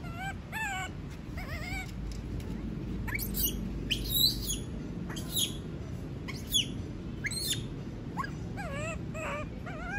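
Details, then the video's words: A monkey that does not want to be left alone gives repeated whimpering wails that rise and fall in pitch, broken by occasional sharp, shrill squeaks, over a steady low background hum. "Sound of monkey scream doesnt want to be alone, suara monyet teriak tidak mau di tinggal sendirian"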